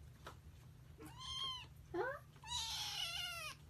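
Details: Young kitten rescued from an engine as the lone survivor of six squeaks repeatedly: a short falling cry, a brief rising chirp, then a longer shrill wavering squeak, over low room hum.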